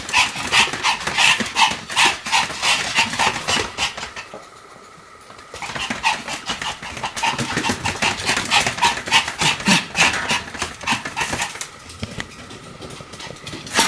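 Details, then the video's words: Pomeranian spinning rapidly in circles, about 175 turns, recorded 1 November 2015; fast, sharp, bright yaps at about three per second, with a short quiet gap midway before the rapid barking resumes. "ポメラニアン サムちゃんの高速回転 約175回 犬の鳴き声"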